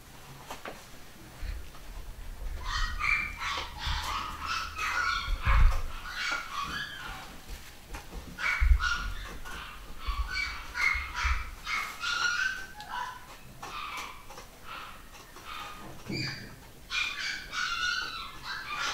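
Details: A home-bred litter of pedigree Basset Hound puppies in the UK, 2015, gives overlapping high whimpers and squeaky whines. The cries rise and fall and come in dense bursts, with low thumping handling noise underneath.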